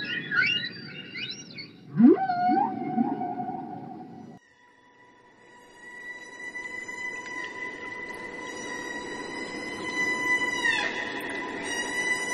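A killer whale gives squealing, rising whistles, then a long, steady nasal call that ends in a sharp downward sweep.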